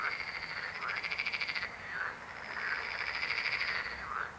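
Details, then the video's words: Fast pulsed frog trills, a buzzing rattle of many rapid pulses drawn out for over a second, repeated almost without pause by overlapping frogs. "Rechot żab. Croaking frog sound."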